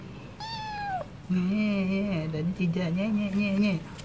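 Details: Stray cat meowing while wanting wet food: a high falling meow near the start, then a long low wavering meow with rich harmonics held for over two seconds, breaking briefly and resuming.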